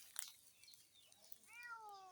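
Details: Two small cats roam and run together along a village dirt path in rural Bengal in the afternoon. One cat gives a single clear meow near the end, falling and drawn out. A sharp click comes earlier and faint outdoor background runs throughout.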